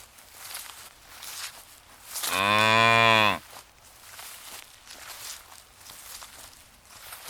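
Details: Cow grazing in a ripe golden rice field on a peaceful countryside afternoon gives one long, loud, rich moo lasting about a second, rising then falling slightly, over soft rustling background.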